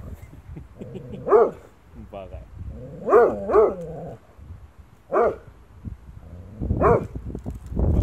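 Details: German Shorthaired Pointer named Aifā barking at its own shadow: a run of sharp, arched barks, some in quick pairs, spaced one to two seconds apart, with softer whines and a human voice mixed between them.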